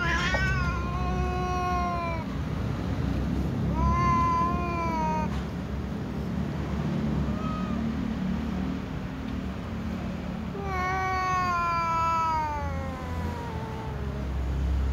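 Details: Ginger cat meowing furiously while waiting to be fed alongside other cats: long drawn-out harmonic meows, the first falling, later ones wavering and sliding down, with gaps between, over a steady low rumble of background noise.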